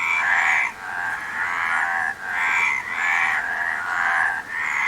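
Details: Frogs croaking together, buzzy grating calls merging into sustained bursts of one to two seconds, with brief breaks and steady hiss underneath.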